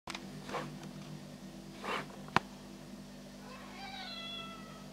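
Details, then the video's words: Black domestic house cat talking while walking around indoors, giving two short soft meows near half a second and two seconds, a sharp click, then a longer falling meow at the end over a steady low hum. "Beautiful Black House Cat Talking and Walking Around"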